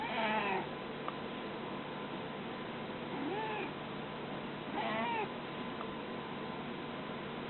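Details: A cat indoors gives three separate meows, each a short rising-then-falling cry with bright harmonics, spaced about two seconds apart, over a steady low background hum.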